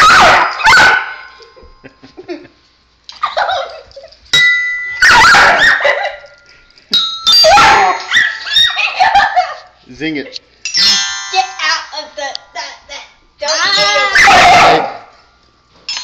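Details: Household dog Kitty objecting to a child's bells: several rough barks, and wavering howl-like whines with rising and falling tones. Jingling, ringing bell notes sound throughout, along with a little human speech.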